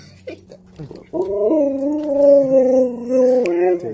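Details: Chihuahua, once abandoned, breaking down crying when reunited with its owner: one long, sustained, tonal howl-like whine holding a steady pitch for nearly three seconds, with a brief upward bend at the end.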